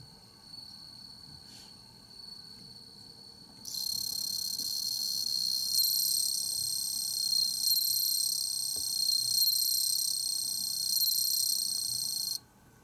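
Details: A bell cricket, recorded 15 September 2021, sings a bright, high, ringing trill that starts suddenly and runs unbroken for several seconds.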